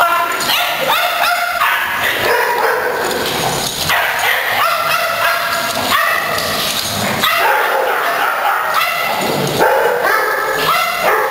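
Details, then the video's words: Pet dogs eager for playtime give rapid, continuous barking and yipping, overlapping sharp harmonic barks packed closely throughout, punctuated by higher whimpering notes. "Come on! It's Playtime!"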